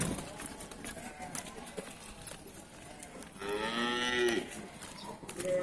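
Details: Cattle at the Pasar Wage Bumiayu livestock market, Indonesia: one drawn-out, harmonic moo of about a second rising out of busy market background noise, with faint clatter around it.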